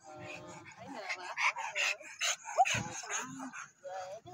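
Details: Sophie, a four-month-old Bernese Mountain Dog puppy, lets out short, sharp yips and bark-like bursts in quick, uneven succession, while a person chats to her over the sounds.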